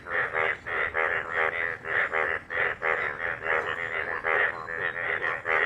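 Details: A dense chorus of yellow Indian bullfrogs in a dried pond refilled by heavy rain that day, loud nasal croaks pulsing over one another without a break.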